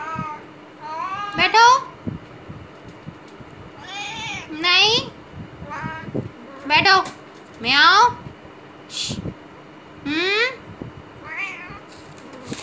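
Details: Cat kept in a cage during aftercare, 17 days after neutering, meowing repeatedly in short, rising and falling calls, about every second or two, while a woman talks to it in Hindi.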